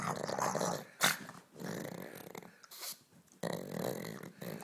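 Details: Pug Ulisse plays and growls indoors, producing raspy rumbling snarls in short stretches, with a few sharp knocks or clatters between them.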